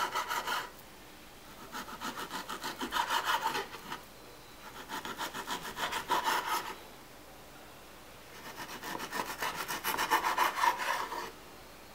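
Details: Rapid, rhythmic crunching and rasping bursts, like fast chewing on crisp leaves, with quiet pauses between them. No calls or voices are heard.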